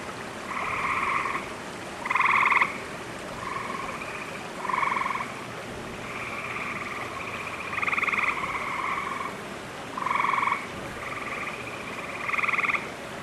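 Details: Several gray tree frogs give short musical trills, overlapping, each about a second, in lush green vegetation at a wolf exhibit after recent rains, June, approaching summer; a loon may be faintly audible.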